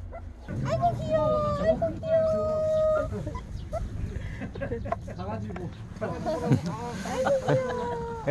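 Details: Month-old puppies of Bom, a white Jindo-mix mother, with a Gyeongju-dog-mix father; high thin whines and squeals, some long steady tones, repeated among the litter over close human talk and cooing.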